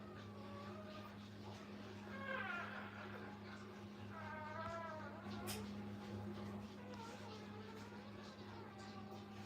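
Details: Brittany puppies, a new litter with their mother at a kennel, give high, wavering whimpers in two bursts of stacked, wobbling tones, over a steady low hum and some quiet talking.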